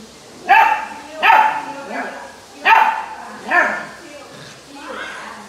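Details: A 61-day-old female Indian Bull Terrier puppy from old British lines, on her second day at home, gives short, husky barks in an uneven series, guarding on seeing the cook for the first time.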